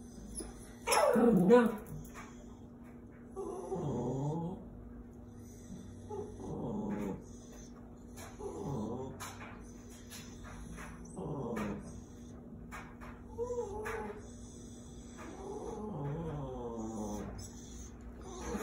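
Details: Pet dog, a Chihuahua and Terrier cross, vocalising at squirrels: a loud opening yelp, then short harmonic yips and whines repeated roughly every two to three seconds with quieter gaps between.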